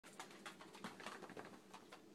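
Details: A female corgi gives a rough, warbling, Chewbacca-like groan in short throaty bursts on command. She began making these noises on her own in the mornings and was trained to do them when asked.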